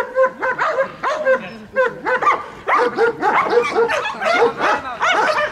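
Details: Protection-trained German Shepherd working with Malinois at a bodyguard dog school in Odessa, Ukraine, barking in quick, insistent bursts. Loud, rough barks follow one another rapidly, several per second, with little pause.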